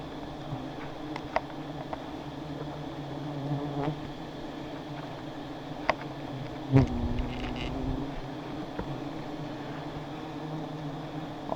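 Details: Low continuous hum of giant honey bees around two high nests being harvested, with scattered clicks and knocks over the droning buzz.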